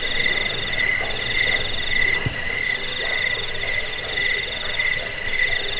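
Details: A cricket chorus, used as a lullaby and rat-repelling track. At first a lower, steady trill dominates, then a high, piercing chirp enters in quick regular bursts, with a brief thump near the middle.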